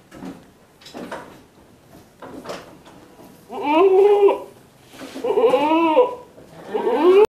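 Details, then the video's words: Several soft knocks and rustles, then an Etawah goat bleating three times: harsh, quavering nasal cries, the last cut off abruptly. "KAMBING NYADIIL"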